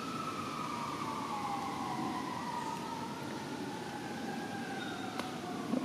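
A distant emergency siren wails in long, slowly gliding tones over steady background hum, with no animal calls.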